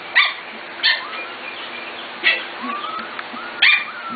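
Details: Corgi puppies, 5-6 weeks old, from the Katie, Emma and Annie litters, recorded 25 June 2014: four sharp high yips spaced about a second apart, with thin rising whines between them and a quiet room background.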